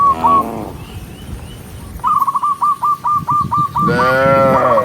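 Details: Dozens of big-horned cattle being herded as they walk together give long, rich, droning moos at the start and end. In between, a fast series of short, clipped chirps repeats about every tenth of a second.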